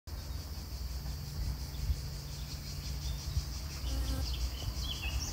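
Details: Honey bee pollinating flowers: a steady low droning hum with a faint buzzing whine, softly rising and falling in loudness throughout, with faint distant chirps higher up.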